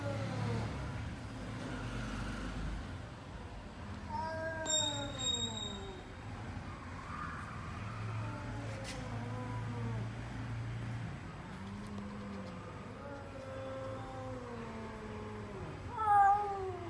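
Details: A cat meowing repeatedly, a series of drawn-out falling cries, with brief high tones and a passing vehicle sound in the background.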